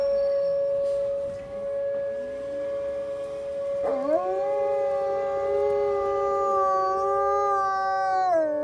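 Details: Morning wolf howling after snow, from animals living out on a deck. A steady voice holds alone at first, then a second howl swoops upward around four seconds and sustains, wavering slightly before dropping at the end.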